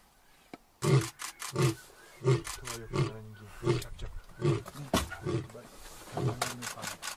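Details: Lion in a national park in Africa, close by, giving a series of deep, throaty grunting roars, about ten heavy pulses spaced roughly two-thirds of a second apart, each low and booming with a rough, breathy edge.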